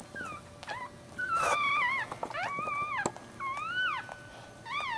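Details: Newborn Maltese puppy, born feet first, giving high wavering cries and squeals that rise and fall, several in a row with short pauses, amid soft rustling and handling noise indoors.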